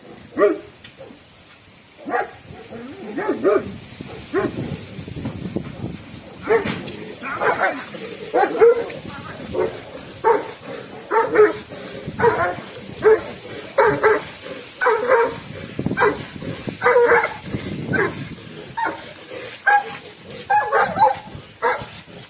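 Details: A Komondor barks in deep, rough bursts during a courage test, with human voices mixed in.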